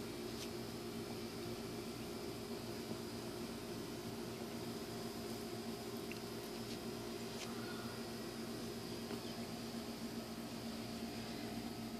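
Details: A steady droning hum with layered tones and a few faint clicks, without any clear animal call.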